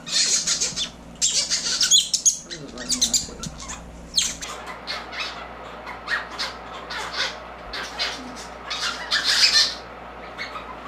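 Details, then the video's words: Orphaned North American river otter pups about a month old, hand-fed specially formulated mustelid milk at a rehabilitation clinic; rapid high-pitched squeaky chirps and squeals in bursts, with handling noise and a low hum underneath. "North American River Otters - Feeding Time"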